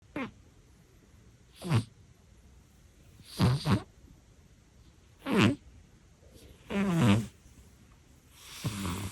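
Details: Elderly pet cat snoring while asleep indoors: rough, low rattling snores in bursts roughly every two seconds, some doubled, with quiet pauses between breaths.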